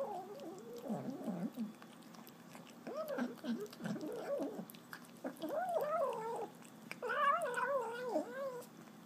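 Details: Pet kitten growling while eating; wavering, moaning growls that rise and fall in pitch, coming in drawn-out bouts that grow higher and louder toward the end, with soft clicking chewing noises between them.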